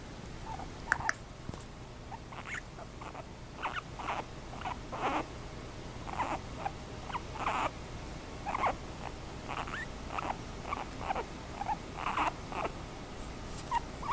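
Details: Two guinea pigs after a bath, giving short squeaky chirps and whistles every half second to second, each brief and mid-pitched, over soft rustling and pattering in the background.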